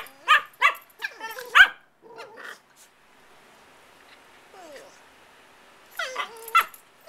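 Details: Two playful puppies, five and eight months old, being silly together indoors: bursts of short, high, squeaky yips and barks in quick clusters, a quiet pause with soft whines, then another flurry of sharp yelps.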